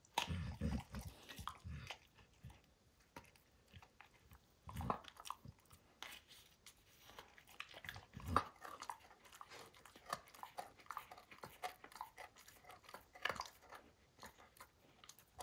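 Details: Max keeps working at the baseball hide he is destroying: a rapid patter of small crunching clicks and tearing scrapes, with a few louder heavy bites standing out.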